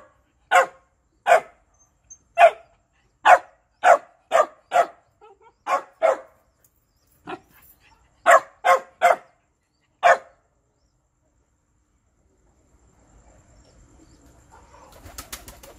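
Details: Shiba Inu barking to beg for food, by turns fierce and gentle: sharp, loud barks in quick bursts, about a dozen over ten seconds with short pauses, then quiet apart from faint rustling and handling noise.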